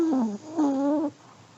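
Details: Elderly Pomeranian asleep and snoring: two tonal, whistle-like breaths, the first sliding downward, the second a longer steady hum with a slight wobble, each under a second, in a quiet room.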